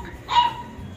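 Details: A young Labrador Retriever puppy, about two to three months old, kept as a pet, gives one of its first barks: a single short, high yelp lasting a fraction of a second, over quiet background music.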